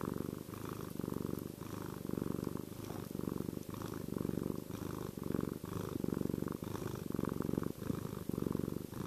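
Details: Domestic cat named Chester purring contentedly, an energetic yet soothing, reassuring purr: a deep, steady low rumble rising and falling in rhythmic breathing cycles, about one pulse per second, with no other sounds in a quiet room.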